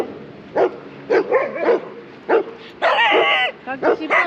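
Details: Short sharp barks, then a longer yelping whine-like cry and more barks, at a neighbourhood dog run in the Netherlands where Shiba Inu Kaki-Maru, 2 years 8 months old, plays roughly with large dogs including a black Labradoodle.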